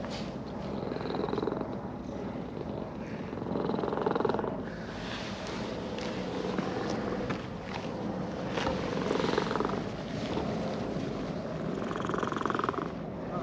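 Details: Brown-and-white cat that came down a slope in a park, purring while being stroked; steady low rumbling purr throughout, swelling and easing with each breath, with faint rustling of fur under the hand.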